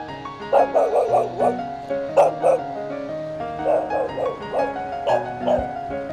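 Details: A pregnant, limping female dog whose companion dog has been missing for over two weeks barks in clustered volleys of three or four sharp, ringing yelps, as if calling him, over soft music.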